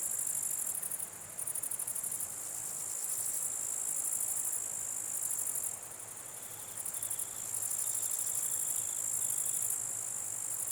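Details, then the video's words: Grasshoppers buzzing at night in numbers, a high, continuous metallic hiss with rhythmic pulsed bursts and short quiet dips, plus a faint, lower, broken trill toward the end. "Grasshopper Sounds | Grasshopper Buzz, Night Grasshopper Humming Sound, Mass Grasshoppers Sound"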